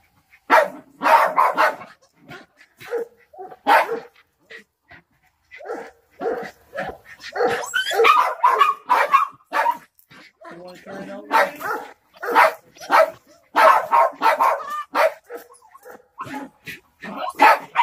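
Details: Barking from three Jack Russell Terriers squaring off with a snake: dense, excited yaps in clusters, some higher and yelping, with brief lulls between the runs.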